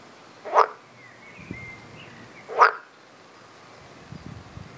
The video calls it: most satisfying frog sounds EVER !!!!!